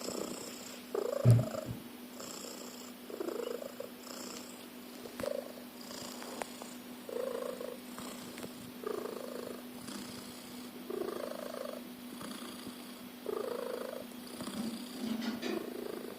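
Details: Domestic cat snoring loudly indoors, compared to a car engine; rough, rasping breath bursts recur about every one and a half seconds over a steady low hum, with a brief louder knock near the start.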